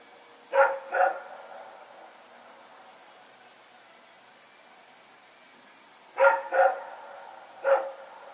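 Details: Nighttime barking from Rex and another dog as they run about, recorded 21 September 2018: a quick double bark, a long pause, then three more barks in close succession over quiet background.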